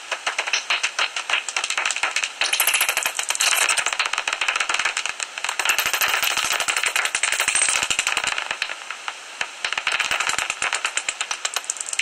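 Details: Common noctule bats at a roost in a tree hollow near Ibbenbüren, Germany, 17 August, fifteen minutes before sunrise: dense, continuous dry clicking and rattling chatter, high-pitched and harsh, with no pauses.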